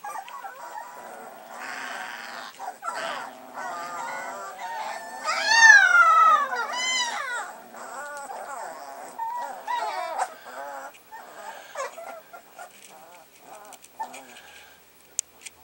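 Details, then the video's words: Three-week-old Alaskan Malamute puppies, recorded 10/27/14, making a chorus of overlapping high whines and yelps, with rising and falling wavering cries peaking mid-clip, then softer squeaks tapering off. "Denali Alaskan Malamutes... 3 weeks old today."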